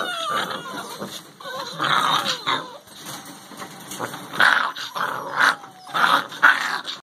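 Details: Calm Soft-coated Wheaten Terrier puppy making soft, uneven whimpers and grumbling whines, with short nasal bursts that rise and fall, louder toward the end, separated by quiet breathy pauses.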